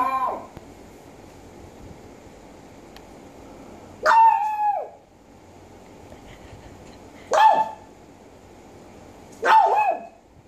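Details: Japanese Chin, also called Japanese Spaniel, giving short sharp barks: one faint at the start, then three loud single yaps at about four, seven and nine and a half seconds, each with a bright harmonic stack, over a steady low hum.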